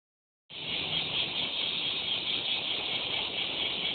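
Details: Cicada song begins abruptly after half a second of silence, then a steady, dense, high buzzing drone holds without pause to the end.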